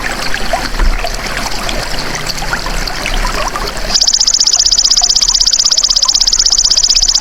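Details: Golden grasshopper, recorded as a tutor sound for songbirds, starts after a stretch of trickling water: a steady, high, buzzy trill of very rapid even pulses runs unbroken to the end.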